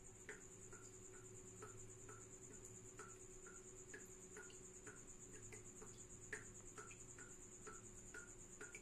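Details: Tropical house cricket indoors, giving a high, steady stream of rapid beaded chirps at one pitch, overlaid by sharp, slightly falling ticks roughly twice a second and a low constant hum underneath.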